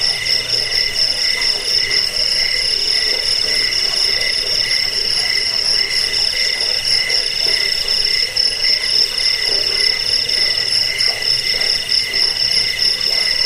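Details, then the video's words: Continuous cricket song for scaring rats, sleeping and bird training; sharp high pulsed trilling with a lower beating tone repeated roughly four times a second, forming a thick, even chorus. "Suara jangkik pengusir tikus pengantar tidur"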